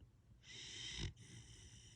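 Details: Husky puppy asleep, giving one drawn-out hissing snore lasting under a second, then a softer breathy follow-on, in a quiet room.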